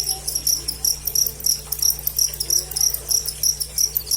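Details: Close cricket giving sharp high-pitched pulsed chirps, roughly three per second in a fairly even run, with a soft low background hum.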